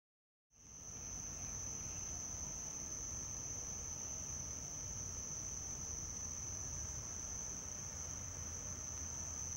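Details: House cricket (Acheta domestica) at Hammam Lif on the Gulf of Tunis coast, Tunisia, near houses on a summer night; a steady, high, continuous ringing trill starts after half a second of silence and holds unbroken to the end.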